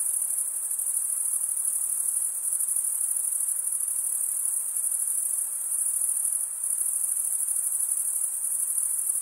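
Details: Unbroken shrill stridulation from crickets forms a level, piercing high tone that hardly varies across the whole stretch, with only a faint, low noise beneath it.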